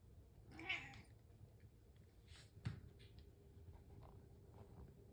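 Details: Waiting indoors for breakfast in the morning, a pet cat gives a breathy, smeared meow early on, then softer rustles and a sharp tap against a low background hum.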